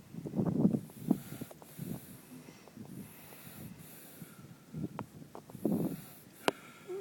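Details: Sleeping horse Minxy, lips twitching, snores in low, rough breathy bursts about every second or two, each a muffled rumbling exhale, with a sharp click near the end.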